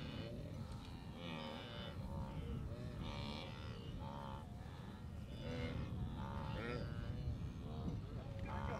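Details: Blue wildebeest herds during the Great Migration at the Moru Kopjes, western Serengeti, observed 7 April 2012; a dense chorus of overlapping nasal grunts and moans repeats continuously over low rumbling background noise.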